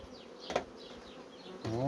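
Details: Honey bees from fast-growing colonies give a steady, low droning hum, broken by a sharp knock near the half-second mark and a louder clunk with a rising tonal scrape near the end, which sounds like handling of hive equipment.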